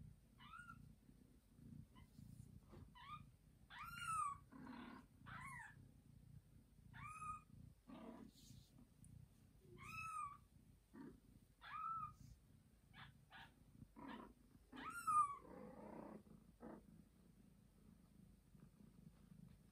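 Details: Mother cat Joanna, tired after a hard birth, meows loudly indoors so her kitten crawls toward her voice or her owners help: a long run of bent, harmonic-rich meows roughly every one to two seconds, with soft low rustling between.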